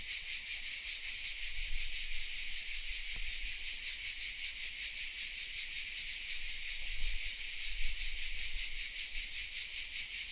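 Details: Cicada chorus from oak trees in Vézénobres, a village in the south of France, captured on a Sony camera: a continuous high rasping hiss with quick rhythmic pulsing, one small click early on, and a soft low rumble.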